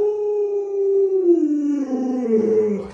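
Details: Household Alaskan Malamute howling in a long drawn-out tone, first level, then wavering and sinking in pitch over three seconds, answering owners who tease it about loving the baby; a person's voice joins near the end.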